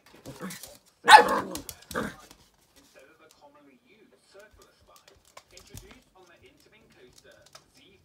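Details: Feisty little dog indoors, playing with a squeaky ball on one of its first encounters with it; a short burst of sharp barks near the start, then near silence with faint small clicks and taps.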